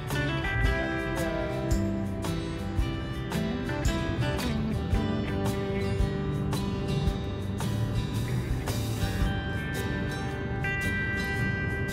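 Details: Strummed acoustic guitar music plays throughout, with no animal sounds.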